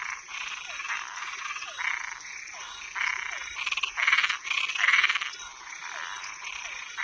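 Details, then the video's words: Frogs calling at night: rough, buzzy croaks repeated about once a second, some overlapping, each followed by a short falling chirp-like note, over a steady high background hiss. "Som de animais noturno Sapo e perereca"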